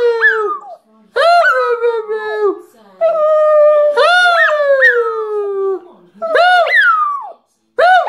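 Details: A Shih Tzu "singing": drawn-out, wavering howls that slide down in pitch, with yelping rises between, coming in bursts of one to three seconds separated by short pauses; no other sounds stand out.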